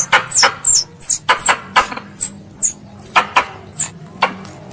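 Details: Squirrel calling to its mother: around a dozen high, thin chirps that dip in pitch, each with a percussive click, delivered at a brisk irregular pace against faint low hum.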